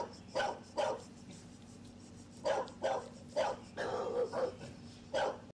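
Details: Two seven-week-old male English Bulldog puppies playing outdoors on a ranch give short, rough barks, singly and in quick pairs, over a low steady background hum.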